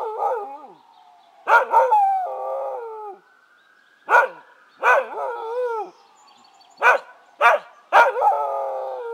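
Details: Oscar the Keeshond reacting to passing sirens with broken howls: sharp-onset yips that slide into short wavering howl phrases, repeated in about five bursts with brief quiet gaps between.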